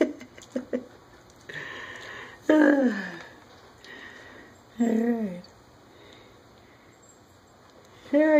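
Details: Shelby's final litter of German Shepherd puppies, 15 days old, gives high whining squeals that slide downward in three separate bursts. Soft clicks and patter fill the gaps between cries.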